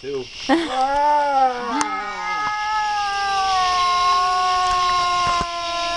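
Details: Domestic cat caterwauling: a couple of quick sliding cries open into one long, sustained, slightly falling moan that carries on unbroken for about four seconds, rich and nasal in tone, with a few faint clicks behind it.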